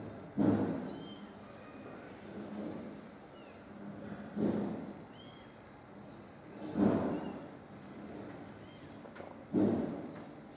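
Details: Distressed stray mother cat discovering her dead kittens, recorded from a distance: four loud, hoarse meows spaced about two to two and a half seconds apart, with small birds chirping faintly in the background.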